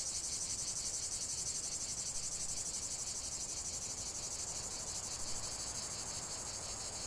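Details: Steady cicada chorus, a bright metallic buzz pulsing evenly around three times per second over a faint lower rasp, with little other sound beyond a soft background hiss.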